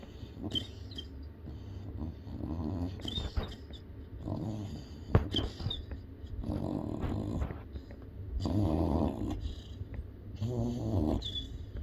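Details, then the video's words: Yellow Labrador Retriever puppy snoring and making funny noises while asleep indoors; rough, rasping low snores come in drawn-out breaths roughly every two seconds, some with a faint whistle on top. "Snoring Yellow Lab Puppy"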